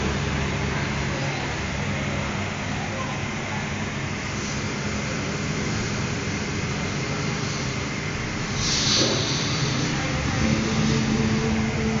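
Steady vehicle rumble with faint voices, and no animal calls can be picked out.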